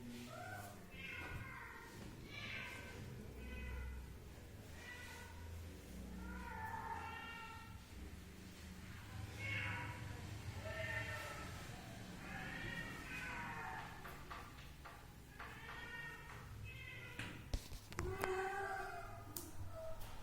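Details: Pet cat meowing again and again, a long series of short, tonal, slightly nasal mews spread across the whole stretch, some drawn out and wavering, with human voices talking underneath and a few sharp knocks near the end.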